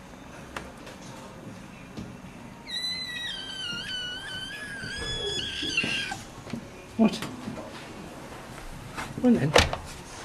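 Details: At a breeder's on 10 April 2010, with a huge 12kg Maine Coon stud and his litter, a Maine Coon gives a thin, high, drawn-out mew that slowly falls in pitch while a person talks nearby.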